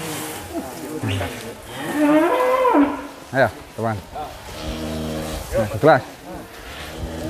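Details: A low, wavering moo from Douglass, an Angus billed as Indonesia's biggest, rises and bends for about a second. Short bursts of human voices and clatter follow.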